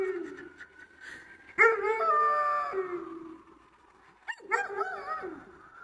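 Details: A Weimaraner howls at home in La Crosse, Wisconsin, USA, giving drawn-out, wavering howls that slide downward, broken by a sharp yelp.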